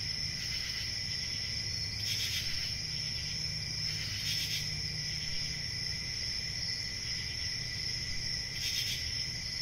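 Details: Crickets giving a dense, steady, high chorus of layered shrill trills, with louder pulsing bursts swelling three times, over a low rumbling background.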